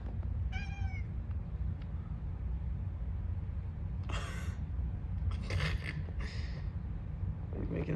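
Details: Cat (kitten). One short, high-pitched kitten meow, clear and slightly falling, opens the recording. After it come a low steady rumble, some rustling and a person's voice speaking softly.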